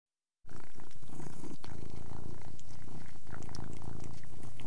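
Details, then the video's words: Persian cat purring while eating, indoors: steady low rumbling purr with pulsing bands, overlaid by frequent sharp clicks and smacking sounds of chewing, after a brief silent start. "Persian Cat Eating & Purring"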